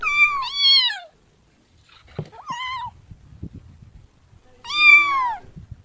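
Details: Kitten giving a double meow, then a short higher mew and after a pause a strong falling meow, with soft rustling and tapping between calls.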